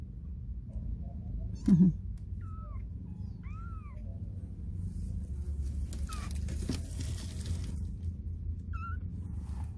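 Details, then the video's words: Baby stray kitten whimpering as it struggles to learn to walk. Short, arched, high mews sound a few times, spaced irregularly across the stretch, over a steady low rumble and a brief soft human voice. "걸음마 배우느라 낑낑대며 걷는 아깽이 새끼고양이"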